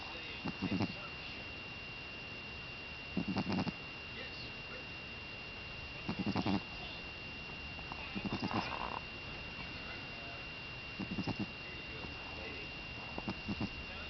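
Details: Buckeye the Boston Terrier asleep, snoring in a regular rhythm: pulsed, raspy bursts about every two and a half seconds, some a little louder, with a steady high whine underneath.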